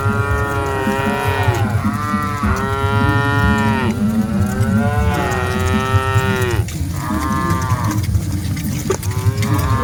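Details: Lowing from a herd of dozens of cattle on the move: a run of long, drawn-out moos, one after another with barely a break, then shorter, clipped calls, all over a constant low trampling rumble.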